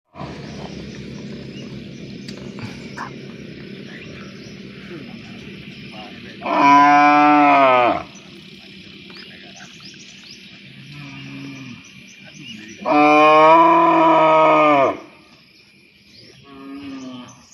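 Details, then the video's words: A cow, said to be calling to a partner to mate, gives two long, loud, harmonic moos, each lasting about a second and a half. "Funny Cow Sounds When Calling Their Partners to Mate"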